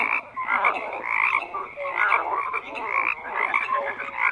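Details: Frogs croaking in a thick chorus, bursts of pulsed, raspy calls rising and falling in quick succession from many overlapping voices.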